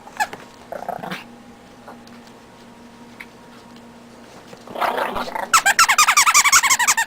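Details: Hyper Chihuahua puppy indoors: quiet room hum at first, then a sudden burst of rapid, rhythmic high yappy growling barks, about three per second, over the last two seconds.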